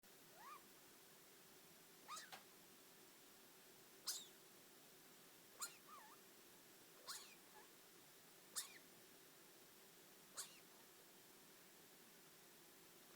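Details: A four-year-old pet degu grumbling: soft, brief chirping squeaks, some sliding upward, repeated roughly every one and a half seconds with quiet gaps, over a faint steady hum.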